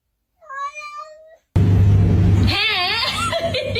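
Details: A house cat gives a single clear, drawn-out meow lasting about a second after a short quiet gap, then loud music and noise take over with some wavering tones.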